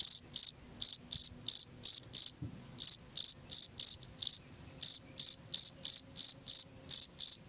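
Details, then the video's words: Cricket call offered as a rat repellent: crisp high chirps in quick regular bursts, broken by two short pauses, with faint low thumps in the background. "SUARA JANGKRIK PENGUSIR TIKUS"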